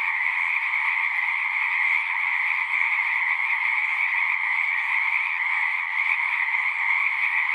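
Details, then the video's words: Frogs in full chorus, a thick, unbroken blend of shrill trilling calls with a lower accompanying band, gently fluctuating in intensity, with no other sounds noticeable. "One hour of singing frogs."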